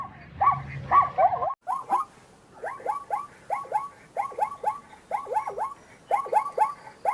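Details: Repeated zebra barks, quick yelping notes with bending pitch coming in clusters of two or three. Short pauses separate the bursts, and faint high clicks sound in the background.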